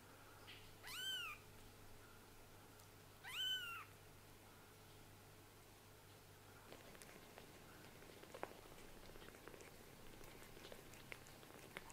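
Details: Young indoor kittens, a Scottish Fold and a British Shorthair whose eyes have just opened, give two high, thin meows about two seconds apart. Each meow rises and falls. Quiet rustling and faint ticks follow.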